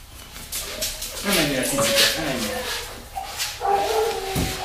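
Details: Bristol, a Labrador mix dog, during a cat test on 14 September 2019, gives short high whimpering whines with wavering stacked tones, rising and falling, then a second steadier whine, while human voices talk nearby.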